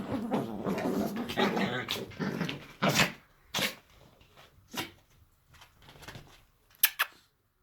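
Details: Playing Chihuahuas: a low growling stretch, then scattered sharp yips and snorts, spaced about a second apart and fading toward the end.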